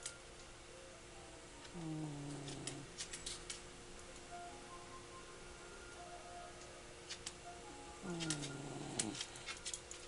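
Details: Barney, a pet dog, snoozing and making happy sounds of contented sleep indoors; two soft, whining moans that slide downward, one near two seconds and another near eight, over a steady low hum with faint clicks.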